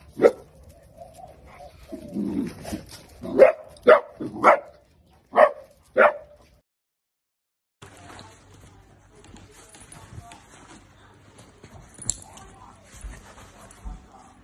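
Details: Miniature dachshund at play, from a compilation of playful clips: a rising whine, then five sharp, tonal barks about half a second apart, followed by a pause and a quieter stretch of soft rustling and faint household sounds.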